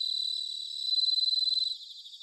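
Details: Japanese bell cricket autumn song from Sanuki, Chiba: a sustained, rapidly pulsed, ringing trill swelling in loudness for nearly two seconds before cutting off, leaving a fainter buzzing chorus of other crickets.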